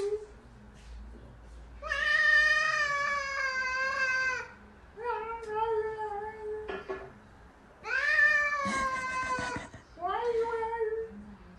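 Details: Domestic cat meowing in a compilation: drawn-out harmonic meows, the first lasting over two seconds, then shorter ones, a long rising-then-falling meow and a final brief mew, with faint background noise.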